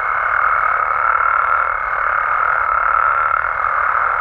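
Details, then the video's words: Frogs and toads calling at night in Mexico: a dense, unbroken chorus forming a steady mid-pitched droning trill, with a thin, constant higher tone held throughout. "Mexican Frogs & Toads Sounds"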